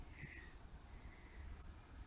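Crickets trill in a steady, unbroken high buzz over a low outdoor rumble.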